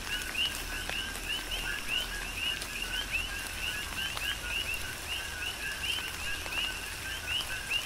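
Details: Tropical rain on the Big Island of Hawaii with a rhythmic chorus of coqui frogs: quick rising whistled chirps repeated nonstop from numerous callers, backed by pattering raindrops and occasional louder drips.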